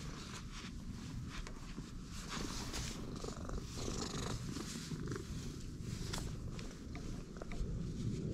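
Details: Low, unbroken purr from a stray cat just met, the rumble swelling slightly in loudness, with faint rustles and brushing sounds mixed in.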